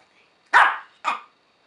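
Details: Yorkshire Terrier answering its owner's multiplication questions with barks, the owner praising it as correct; one loud sharp bark followed by a second shorter, quieter bark half a second later.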